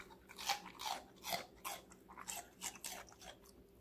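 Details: Rapid crunching from Connie, a five-month-old female Golden Retriever eating various vegetables indoors, recorded close for ASMR. Crisp, loud bites repeat about twice a second in a steady chewing rhythm.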